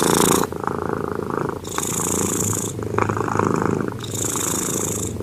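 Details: A sleeping cat snoring, with broad breathy rasps that alternate between airy inhales and low rumbling exhales over about five seconds.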